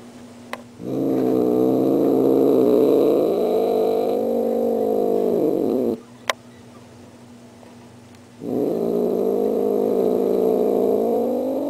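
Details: Female house cat Star rehearsing a Halloween welcome with two drawn-out, throaty growling yowls, each about five seconds and pulsing roughly four times a second, separated by a silent pause and two faint clicks.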